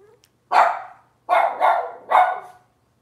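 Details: High, harmonic yips from a Cavalier King Charles Spaniel puppy in Robin's litter, filmed indoors on a kitchen camera. Three abrupt barks come at uneven intervals, the middle one doubled, each fading quickly.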